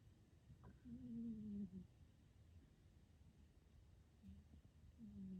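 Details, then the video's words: Calvin, a short-nosed pet cat, snoring while asleep, also said to talk in his sleep; two drawn, buzzy nasal tones around a second long, then shorter soft snorts, in a quiet room. "SNORING Ball of Calvin Fur"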